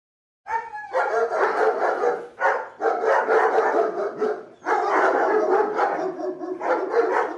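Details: Dog barking in long, dense runs of harsh, broadband barks that blur together, with brief pauses near two and four and a half seconds before the loud barking resumes.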